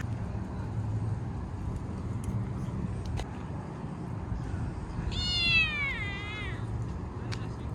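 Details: Stray kitten living in a park, petted after being fed, gives one long drawn-out meow with a rich harmonic tone that wavers and slides downward, over a steady low rumble of passing traffic.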